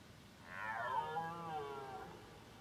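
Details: Wild red deer calling unseen in thick fog, heard all around near a forest where a group of wild boar also roamed; one long, harmonic-rich moaning call swells, then slides slowly downward over about two seconds above a steady hiss.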